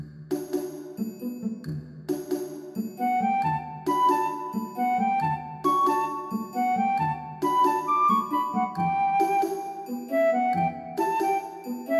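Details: Gentle instrumental music with flute-like melodies over soft piano chords; no animal voice can be picked out. The tune moves in repeating phrases with steady sustained notes throughout.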